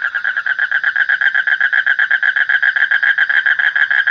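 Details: Rapid run of harsh, pulsed frog croaks, close to four per second, evenly spaced and loud throughout, over a thin steady high-pitched drone.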